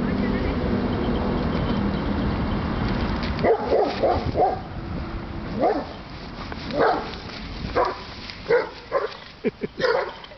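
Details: Leo the dog barks in short, sharp bursts: a quick cluster of barks, a pause, then scattered single barks about once a second, with a person speaking quietly underneath.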